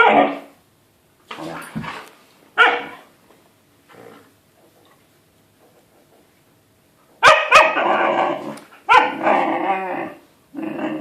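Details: Siberian Husky puppy wanting an older dog to play, giving short yips and grumbles early, a quiet pause, then loud, raspy, wavering howl-barks in quick succession near the end.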